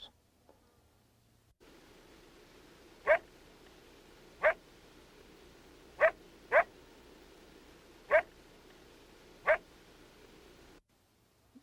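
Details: Coyote aggressive barks, described as very loud, very coarse and very distinct, unlike non-aggressive barks; six sharp harsh barks spaced one to two seconds apart, two in quick succession, over faint steady background hiss.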